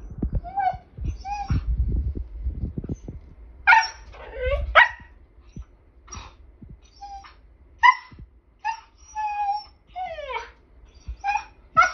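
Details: Siberian husky that wants to play, giving a string of short, tonal whines and yowls that bend up and down. The bursts come in irregular clusters through the clip, with a person talking to the dog and low background noise early on.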